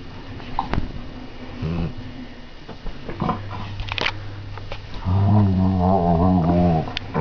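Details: Retu, an Airedale Terrier, plays with a sock in bed on a Sunday morning, disturbing a sleeper. Scattered rustling and sniffing give way to a low, harmonic, rumbling growl that swells over the final two seconds.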